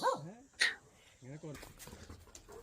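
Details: Pomeranian puppy arriving at a dog boarding farm for the first time, at first quarrelsome; two short bursts of sharp, falling yappy barks, then a man talking in the background.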